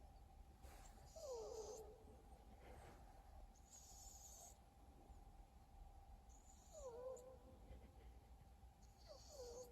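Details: Exotic Shorthair cat snoring indoors while asleep: soft wheezy whistles sliding downward, each paired with a faint breathy hiss, returning about every two and a half to three seconds over a steady low room hum.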